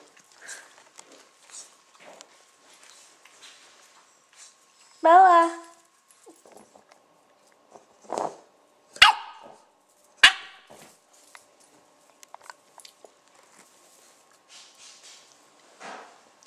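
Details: A very tiny female blue Staffordshire Bull Terrier puppy, just after her first meal, gives her first bark: a single high, wavering yelp, with a person speaking nearby.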